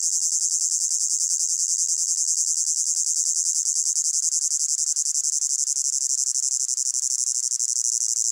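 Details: Hot-meadow crickets of a calm summer scene, layered recording: a constant shrill, finely pulsed high chirring chorus keeping an even intensity throughout, nothing else audible.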